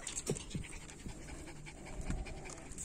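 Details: Puppies from two litters, indoors with their people, panting in quick breathy bursts with a few short soft whimpers; a woman talks to the dogs between the sounds.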